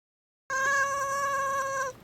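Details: Domestic cat named Miiko giving an angry call as its owner is about to sneeze; one sustained, steady harmonic meow lasting about one and a half seconds, clear and loud against a quiet indoor background.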